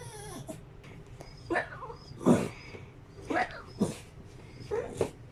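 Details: Seventeen-year-old female Shiba Inu with dementia, barking from excitement before falling asleep: short, hoarse, breathy barks and yelps spaced irregularly, about five in five seconds, some with a brief rising whine.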